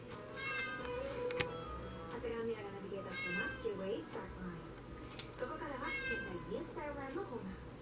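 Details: Tabby Maine Coon cat meowing three times, short high bright cries spaced roughly three seconds apart, partly masked by steady lower murmuring voices or music in the background.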